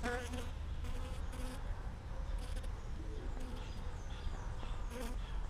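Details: Bee inside a scopolamine flower: a continuous low droning hum under a rough, rustling background, with bursts of human laughter over it.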